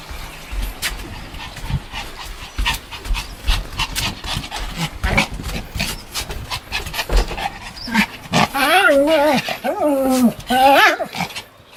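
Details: Pomeranian named Sam, recorded 1 May 2015, playfully pretending to bite. Scuffling and panting noises lead into a run of wavering, whiny, pitch-bending yips near the end, with human voices in the background.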